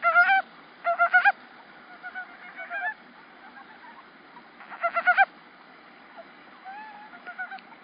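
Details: Male montane brown frogs give short, rattling, nasal bursts of rapidly pulsed notes, with quieter calls scattered between, in a rice paddy in early spring, 8 March 2013.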